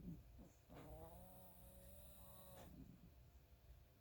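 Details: Sleeping chihuahua snoring quietly: a low, rumbling breath sound with a drawn-out, steady nasal tone held for about two seconds, then fading back into soft low breathing.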